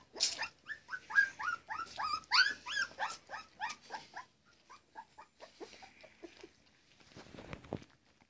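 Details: Labrador Retriever puppies during morning cuddles: a rapid run of high, yelping whimpers about two per second for four seconds, easing into softer, sparser whines, with a rustle near the end.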